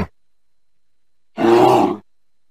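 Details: Single short, gruff bear growl of just over half a second, rich and harsh, preceded by a brief trailing sound and silence.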